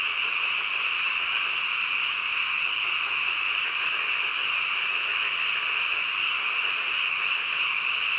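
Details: A dense chorus of frogs at night, heard as a constant high, buzzing wall of sound that keeps an even loudness from start to finish. Nothing else stands out.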